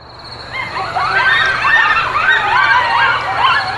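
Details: Several coyotes (Canis latrans) yip and howl together in high, wavering, overlapping notes that slide up and down.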